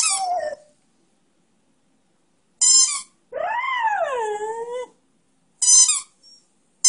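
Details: Flash, a one-year-old Beagle-Schnauzer mix, "sings" a tuneful howl that rises and then slides down, between the sharp squeaks of a toy he is squeaking, with music playing.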